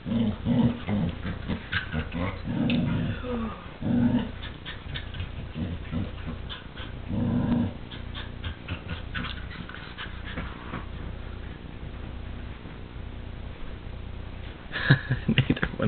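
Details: Pet dogs fighting over a chew toy, the small dog aggressive; a few strong guttural growls early and midway, then quieter rustling and thuds with occasional faint grumbles, a sharp clatter near the end.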